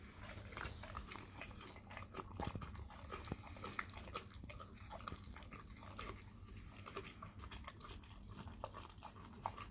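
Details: Wet smacking and biting from a dog working on a raw cow tongue inside a small room, clicks scattered unevenly through the clip over a constant low drone.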